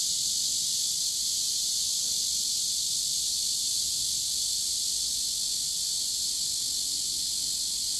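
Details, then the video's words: Summer cicada chorus beside a river on a warm day, 23 July 2015, a constant shrill buzzing wash that holds an even level without pause, over soft low background noise. "Las cigarras cantando junto al río en cálido verano"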